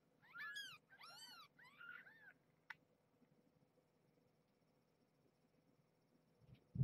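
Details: Bedtime with mother cat Marge and her kittens in a box inside a cage: three clear arched meows in quick succession, then a faint click, near silence and a closing thump.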